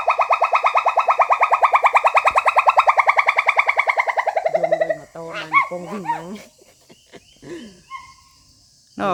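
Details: A wild pileated gibbon (Hylobates pileatus) in mountain forest gives a loud, rapid run of pulsing, echoing hoots that slow and drop, apparently calling about once a minute, followed by human voices.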